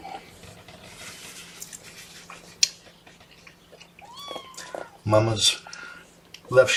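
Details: Kitten among Mama Seraphina's litter (3 boys, 1 girl) complaining about being pottied before its weigh-in: a sliding, downward-curving meow, surrounded by human talk, thumps and handling sounds in a small room.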